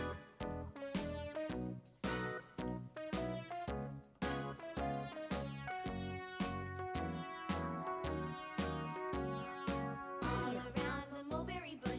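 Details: Light, bouncy keyboard background music with repeated rhythmic chords plays throughout.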